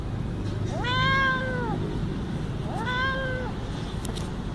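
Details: Very cute little cat meowing: two clear, drawn-out meows about two seconds apart, each close to a second long with a rise-and-fall arc, over a steady low rumbling background hum.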